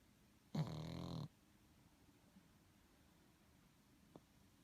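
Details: One short, gravelly snore from a sleeping pug lasting under a second, low and rumbling, followed by near silence with a faint click or two.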